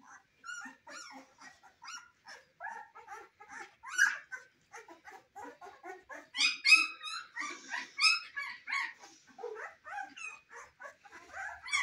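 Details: Litter of Cane Corso puppies in their first weeks, giving constant high-pitched whimpers, yelps and squeaks, many voices overlapping in a busy, irregular chorus with short louder peaks.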